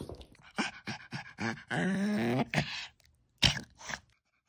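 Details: Ballerina, a senior toothless Maltese, 'talks' in quirky human-like sounds: a series of short voiced bursts, then a long, drawn-out harmonic moan with wavering pitch, and a sharp final burst in a small indoor room.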